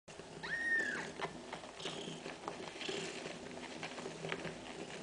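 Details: Domestic cat Kaewe nursing her seven kittens at feeding time; a single high, thin mew with a slight rise near the start, followed by soft shuffling and rustling noises indoors.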